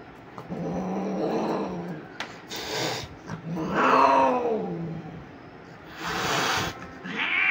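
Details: Persian cat during mating, giving drawn-out wavering yowls that rise and fall, one long caterwaul arching upward in pitch around the middle, with brief shuffling noises between calls.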